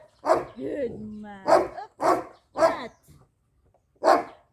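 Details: Jet black Belgian Malinois pup Lucy, two months old, barks in training: one bark, a woman's brief praise, then three rapid barks and a last bark after a pause.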